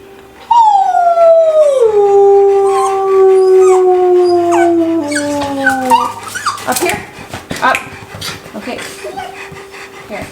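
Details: Two Old English Sheepdogs being taught to howl at home: a long sliding howl that falls steadily from high to low over about five seconds, rich in harmonics, then breaks into scattered yips and barks with people talking.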